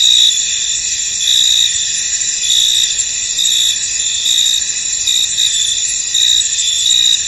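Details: Crickets in a misty, foggy field, a steady high shimmering trill with brighter pulses near the top recurring about once a second, layered over dense continuous insect chorus; no other clear sounds.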